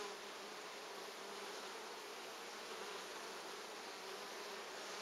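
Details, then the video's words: Steady collective droning of honey bees at hive 3 in an apiary, 14 August 2011, a constant even hum with a soft hiss above it. "Pszczoły, ule, pasieka"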